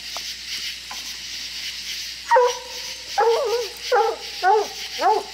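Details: Coonhound puppies playing with a coon, giving a run of short, yelping barks with harmonic, slightly wavering tones, a few faint yips first, then four or five louder barks spaced about half a second apart against steady insect-like background hiss.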